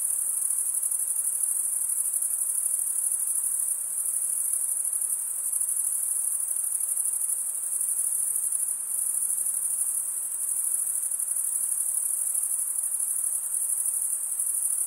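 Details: A night chorus of crickets in a summer forest: an unbroken, high, whistle-thin trill with fast regular pulsing and steady loudness that barely wavers over fifteen seconds. No birds, wind or voices are heard.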